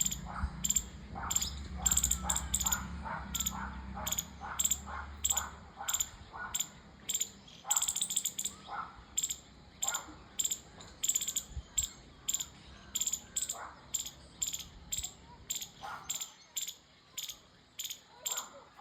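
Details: Squirrel. A squirrel chirps in quick, dry, bright clicks, repeated roughly twice a second with an even rhythm. A faint low hum sits underneath at first, then fades, leaving the chirps clearer.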